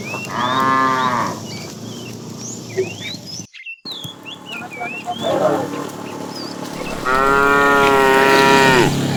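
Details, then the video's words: Calling the female, a fat tame cow in a herd herded during the afternoon gives two drawn-out moos, one short at the start and a longer one near the end, with bird chirps and a brief dropout between. "The funny sound of a fat cow calling the female"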